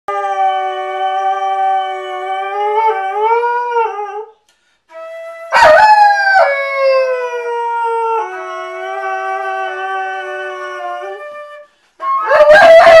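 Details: A pet dog howling in a duet with a flute to celebrate its reunion with its owner after six months apart. Long sliding howls rise and fall alongside steady, sustained flute notes, with one loud wavering howl near the middle.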